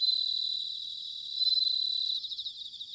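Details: Close bell cricket singing in autumn, Sanuki, Chiba: a bright, high ringing trill held for about two seconds, then breaking into quick separate pulses.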